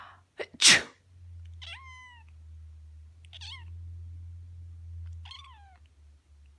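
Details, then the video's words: A black female cat answers her owner's sneeze while bathing herself: a loud sneeze, then three separate meows about 1.7 seconds apart, each bending upward then sliding down, over a steady low hum indoors. "My black cat meowing to sneezes while giving herself a bath"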